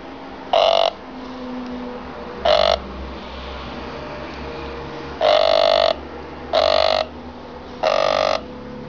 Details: Emperor cicada (Pomponia imperatoria), call.